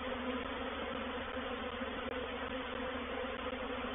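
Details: Reproductive honey bee swarm moving into a swarm trap at Painted Peacock Manor, 04/07/21. Intense, hissy mass buzzing with a faint steady hum underneath, continuous and uniform, broken only by a couple of tiny clicks.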